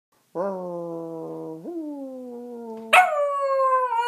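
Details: Singing Dachshund howling in long, steady tones, holding one low note, sliding a step higher, then leaping to a much higher, louder wail that wavers slightly.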